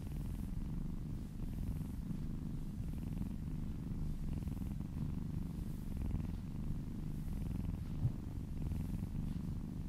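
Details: Massaged female kitten purring contentedly right by the listener's ear, a dense low rumble pulsing quickly and evenly, with a brief small click near the end.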